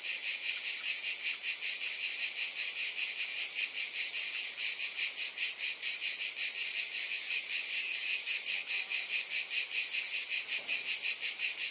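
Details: Massed cicadas buzz without pause, a bright sizzling wall of sound that pulses a little over twice per second, steady in loudness from start to finish.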